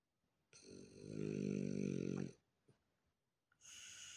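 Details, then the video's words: A relaxed female French bulldog snoring loudly: one long, rumbling, pulsed inhale snore lasting nearly two seconds, followed by a faint snort and the start of a breathy exhale. "Relaxed French bulldog snores loud"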